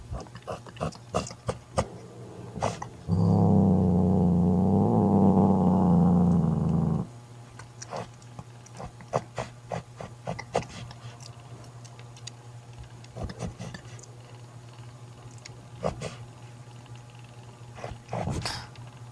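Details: Mother cat Mocha, a domestic rescue cat, growling to banish her jealous sister Kofi from her newborn kitten indoors: one steady low rumbling growl of about four seconds, then scattered clicks and rustles.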